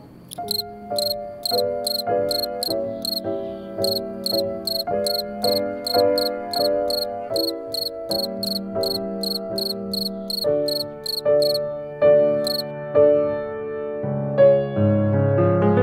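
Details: A male cricket found in a yard chirps along with an emotional piano composition, a little out of time. Trains of quick, bright chirps repeat steadily before stopping near the end. A rich, loud piano accompaniment continues throughout.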